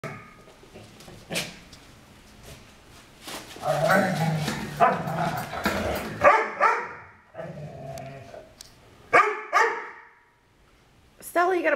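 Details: Two foster dogs, Maddie and Stella, playing together indoors; Stella, the larger one, makes very strange noises while playing. Grumbling growls and harmonic whining bursts come in uneven waves, with sharp bark-like peaks near the middle and end, plus faint human voices.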